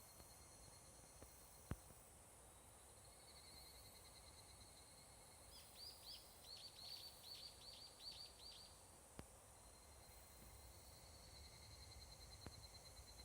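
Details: Summer dusk in a Japanese mountain forest: a higurashi (evening cicada) phrase of quick, shrill pulses rises midway for about three seconds, then stops. A steady insect drone and a few sharp clicks fill the rest.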